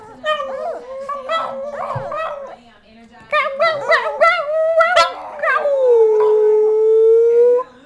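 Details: Brussels Griffon named Peanut, kept indoors in a living room with other dogs, singing: wavering tonal howls climbing and falling, several short yodeling bursts, then one long steady drawn-out howl; human voices murmur faintly underneath.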